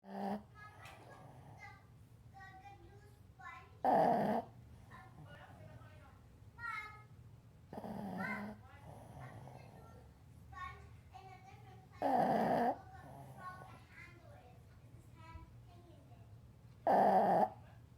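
A sleeping Boston Terrier gives loud, harsh snores roughly every four to five seconds. Softer snuffling, wheezy breaths fill the gaps, and faint voices can be heard in the room.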